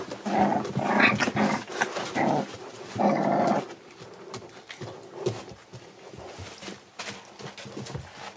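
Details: Seven American Bully puppies born December 8, 2019: rough growling and whining bursts in the first four seconds, then quieter scuffling and tapping while the litter moves about indoors.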